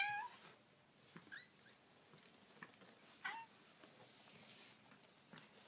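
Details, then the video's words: Baby kittens making cute noises: a thin, rising mew opens, then two or three short, high, wavering mews about a second apart. Soft rustling and scratching fill the gaps. "Baby Kittens Making Cute Noises"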